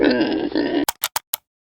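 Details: Pig grunting in a low, buzzy, rasping grunt lasting under a second, followed by four short clipped spoken bursts.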